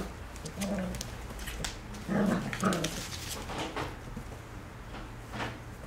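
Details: Three black Cocker Spaniel puppies playing indoors: soft low grumbling growls and scuffling, louder bursts of throaty growling around the middle, with clicks and thumps of movement throughout.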